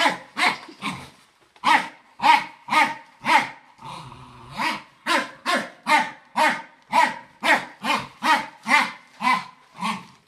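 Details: Fox Terrier barking at a running vacuum cleaner, with sharp harsh barks repeated about twice a second in a steady volley, one short pause with a low growl, and some background hum.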